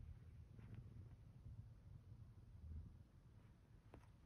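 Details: Zeke the cat, lingering in bed one morning after the alarm and kneading a blanket, produces a low, even, throbbing purr, quiet and close, with a faint tick near the end.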